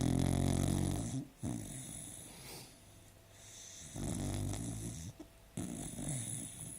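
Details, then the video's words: Dog snoring while asleep, loud and close: deep rumbling buzzy snores repeated about every one and a half to two seconds, each ending in a short breathy gap, with a faint airy hiss over the top. "Doggy snoring so funny"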